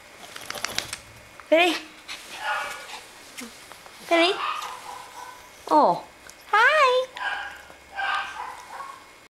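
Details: Moody Yorkshire Terrier vocalising in several short bursts of wavering, rising-and-falling whines and yowls over about nine seconds, interspersed with a woman speaking Cantonese.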